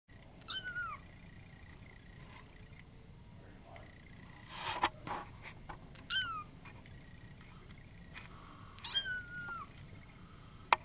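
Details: Sealpoint male Siamese cat meowing three times: short, bright, downward-bending meows spaced a few seconds apart, with a faint background hum and a couple of brief knocks between calls.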